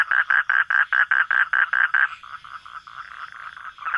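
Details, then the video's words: At night a frog gives about ten distinct pulsed croaks at an even pace over two seconds, then fainter, irregular calls from other frogs continue behind. "hunting for frog sounds at night"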